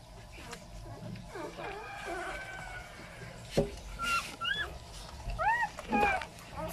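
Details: Newborn Labrador and Chow Chow mixed-breed puppy giving a few short, arched, high squeaks in the second half, each rising then falling, after a quieter start with faint shuffling and low room hum.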